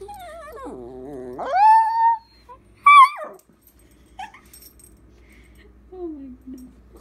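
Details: Puppy Dakota talks back with a long, wavering, moaning whine that dips low and then climbs to a held tone. A sharp higher yip follows, then a soft trailing whimper near the end.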